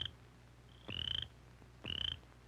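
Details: A male cricket frog gives its spring mating call, sharp, high clicking notes, each with a brief rising ring, about once a second, produced with its vocal sac to attract a female.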